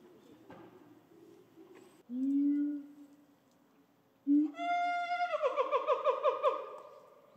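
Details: A silverback gorilla courting a female in December 2022 beats his chest and gives low voiced grunts, then a rising, wailing call that breaks into rapid pulses. The female shows no interest.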